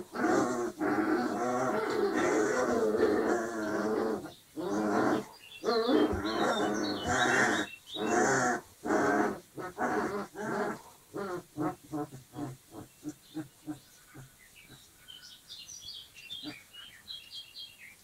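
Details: Dogo Argentino puppies 25 days old playing with each other, making harmonic growling and whining bursts that break into shorter, quicker pulses, then grow sparse and fade toward the end.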